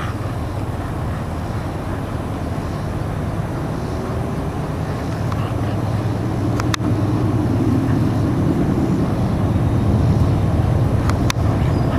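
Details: Steady low rumble of passing traffic or engine noise, rising slightly in loudness, with a few sharp clicks near the end and no animal voice.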